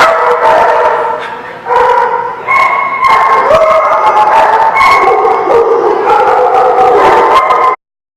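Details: A group of dogs on 19 August 2016 howls and barks at once, long drawn-out tonal howls rising and falling over steady barking, before the sound cuts off abruptly.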